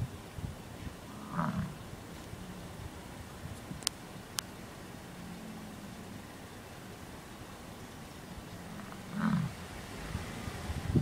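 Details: Bison grunting: deep low grunts, one near 1.5 seconds and a stronger one near 9.3 seconds, with faint low rumbling between, two brief clicks around 4 seconds, and a quiet outdoor background.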